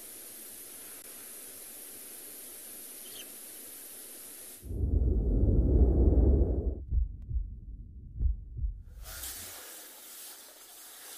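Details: Steady hiss gives way to a few seconds of deep, muffled rumbling and thumps, then the hiss returns, with no clear animal voice.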